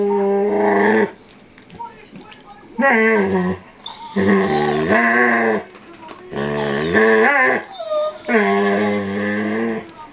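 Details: Young male standard poodle, eight months old, vocalizing while he nibbles the face and ears of an older standard poodle at home: five drawn-out, wavering, singsong moans, each one or two seconds, separated by short pauses.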